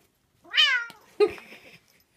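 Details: Bailey, a Bengal cat, going mad with a catnip pollock fish toy, gives one loud meow that starts high and slides downward, with rich harmonics. A sharp thump and scuffling rustles follow from the play.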